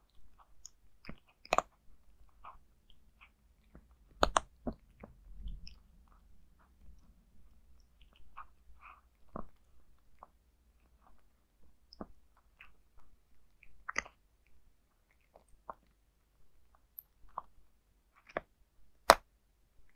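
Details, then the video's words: Zayka, a cat, crunching dry food indoors without talking: sparse sharp bites and clicks spread over the whole stretch, some louder snaps, with quiet gaps between mouthfuls. "Zayka eating dry food CAT ASMT"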